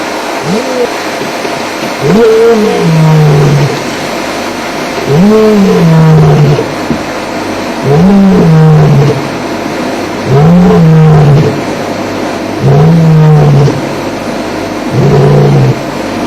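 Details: A male lion, one of the Mapogo males, roars at Djuma Game Reserve on an afternoon drive on 2 May 2008, after feeding. He gives deep, throaty roars about two seconds long every few seconds, possibly answering a distant male to the southwest.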